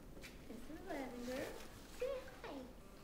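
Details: Five-week-old puppies indoors, whining in high, wavering, harmonic cries that slide up and down in pitch, coming in two bursts about a second apart, with a quiet room in the background.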